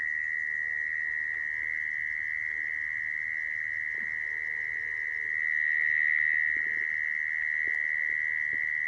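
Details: Mole cricket call used to lure mole crickets for trapping: one steady, unbroken high buzzing trill at a constant pitch, swelling slightly louder near the middle, with faint low background rumble.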